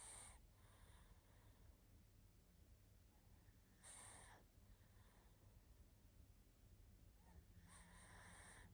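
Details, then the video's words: Barney, a tired pug, snores while asleep. Three breathy, hissing snores come about four seconds apart, each a short rush of air with quieter breathing between, in a very quiet room. "Мопс спит и храпит😴Уставший Барни"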